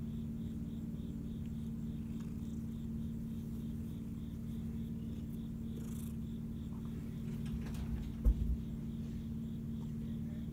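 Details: A female Siamese cat, relaxing just after eating, purrs in a low, steady rumble while a cricket chirps faintly in the background.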